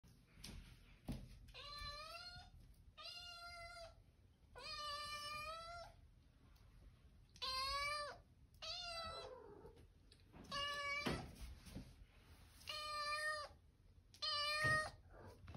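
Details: Hungry domestic cat meowing indoors in a small room: eight loud, drawn-out harmonic meows, each about half a second to a second long, repeated roughly every one and a half seconds, with quiet rustling between them.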